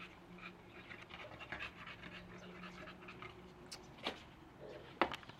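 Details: American Bully on a walk, panting in soft rapid breaths for the first few seconds, then fainter, broken by a few sharp clicks or scrapes near the end.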